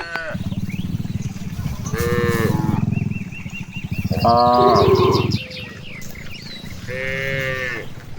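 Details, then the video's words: In a large rice field where cows graze, a low throbbing rumble pulses through the first five seconds, overlaid by three bellowing moos, with bird twitters in the background. "the sound of cows"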